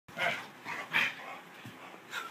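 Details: Bulldog at play giving several short, rough, breathy barks and huffs spaced about half a second apart, with panting-like noise between them in an indoor setting.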